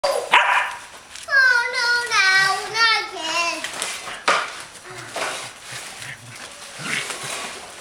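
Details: Kaley, a corgi, playing with her frisbee, gives a drawn-out wavering whine with strong harmonics that slide slowly downward over about two seconds, after a brief opening yelp; a person's voice follows, urging her to get the ball.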